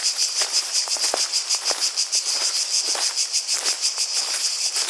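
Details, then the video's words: Buzzy, high-pitched cicada chorus throbbing at around three pulses per second, overlaid with scattered sharp clicks and soft crunching sounds like steps. "Relaxing Sounds of Cicadas"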